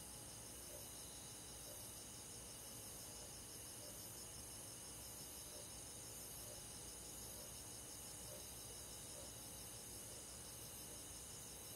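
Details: Crickets among other forest insects on a summer night in the countryside, a constant high pulsing trill in stacked bands, with a lower chirp repeating roughly once a second over a soft background hum.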